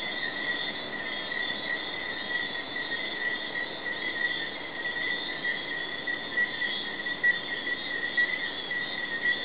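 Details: Jamaican tree frogs calling together at night, Hidden Paradise, Negril, in May 2008: a continuous buzzing, whistle-like hum of many frogs, with small rhythmic pulses of about one per second riding on the drone.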